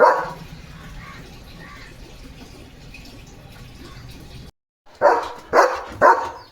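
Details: Pet German Shepherd barking in the early morning: a single bark opens, then a stretch of low background noise and faint voices, and finally three loud barks in quick succession at the end.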